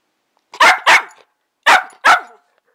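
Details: Pet dog barking at its owner: two pairs of sharp, fairly high barks, each pair quickly doubled, with about a second of silence between the pairs.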